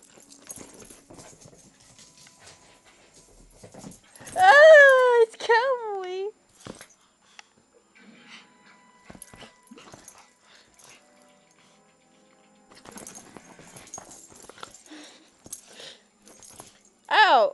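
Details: Small Chihuahua called Kelby gives a run of sharp, high whines that slide downward, clustered near the start, with one more loud burst at the very end; quiet room with soft talk between.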